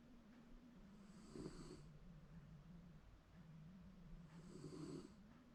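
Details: Pet Shiba Inu snoring through a cozy daytime nap at home. Two harsh, breathy snorts stand out about three seconds apart against a low continuous rumble, quiet room otherwise.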